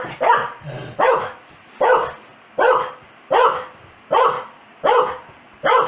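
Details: Corgi named Foxy, a pet dog, barking angrily at her owner's sneezing: sharp, loud barks repeated steadily about once every 0.8 seconds, each with a short harsh burst, indoors with little else heard.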